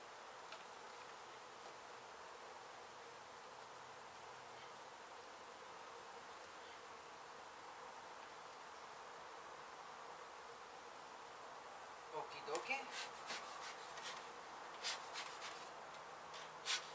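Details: A honey bee hive struck during demolition of an abandoned Mission, Texas home, its bees being saved and moved; a constant droning buzz, joined in the last few seconds by a run of sharp clicks and knocks.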